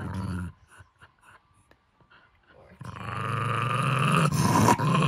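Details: Henry the Jack Russell Terrier, possessive of his stuffed monkey, lets out a short sound, falls quiet, then launches into a sustained rough, rattling growl that swells louder toward the end.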